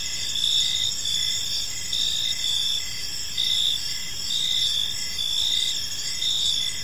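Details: A gentle evening chorus of crickets in a park, layered high trills with a pulsing chirp recurring slightly faster than once a second, steady and uninterrupted.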